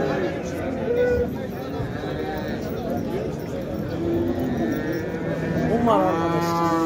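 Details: Cattle in the large livestock section of the Şarkışla livestock market on 24 February 2024. A harmonic, drawn-out moo rises near the end, amid steady crowd murmur and people talking.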